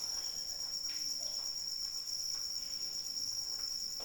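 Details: A cricket chorus singing through rain as one constant shrill buzz with bright upper overtones, steady from start to finish, accompanied by gentle rain patter.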